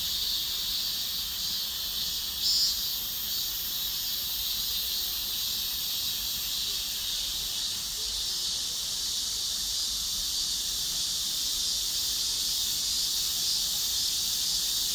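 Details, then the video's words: Cicada chorus as a long steady high-pitched buzz, slightly pulsing in places, with a brief louder swell early on and quiet low background. "매미들의 합창"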